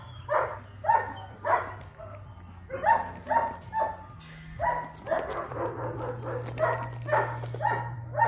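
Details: Young German Shepherd puppy, eight weeks old, long coat in liver sable, barking in a rapid, slightly irregular string of high yappy barks, roughly two per second, some notes ending in a whine, over a low steady hum.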